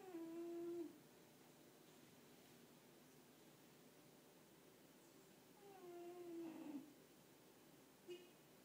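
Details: French Bulldog, a sleeping female, snores in two short whistling nasal bursts several seconds apart, with a brief faint click near the end. Low hiss of a quiet room fills the gaps.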